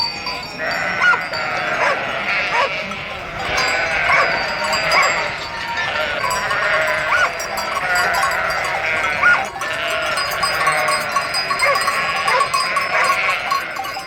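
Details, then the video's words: Sheep bleating on a farm, many overlapping wavering bleats forming a continuous chorus, the loudness swelling and easing every few seconds, with a faint metallic jingle in the background. "Sounds of nature and animals: horse, cow, rabbit, rooster, chicken, wild boars, sheep, goats, ducks"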